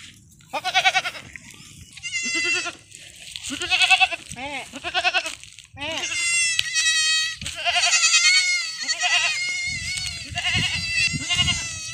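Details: Young goat kids on a farm, being given iron injections, bleat loudly in a series of wavering, nasal cries, some short and some drawn out, repeated irregularly with brief pauses, one overlapping another, and low background rumble between them.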